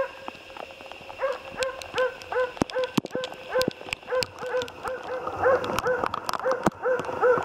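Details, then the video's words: Jämthund named Otis barking during a moose hunt, rapid repeated barks roughly two to three per second with some irregular pauses, mixed with sharp clicks and knocks in the background. "Älgjakt med jämthund"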